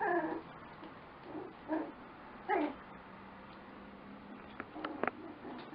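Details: Lakeland Terrier puppies making three short, nasal whimpering yips spread over about three seconds, then faint clicks and knocks in a quiet room.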